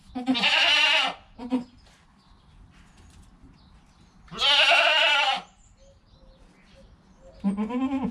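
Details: Newly born goat kid in its first hour, mother calm beside it: long tremulous bleats repeated every few seconds, with short low grunts between them.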